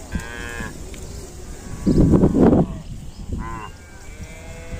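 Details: Cow giving a strange-sounding call: one loud, low, rough moo lasting about half a second in the middle, with shorter higher harmonic calls before and after it and small birds chirping in the background.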